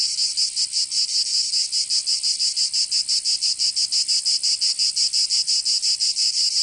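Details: Provençal cicadas in summer give a high, grating buzz that swells and dips in a regular pulse of nearly three beats per second, an unbroken insect chorus in southern France.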